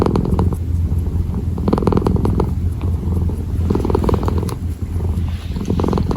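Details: Purring kitten during kneading, low and unbroken, with soft crackling texture and a few faint clicks over the rumble.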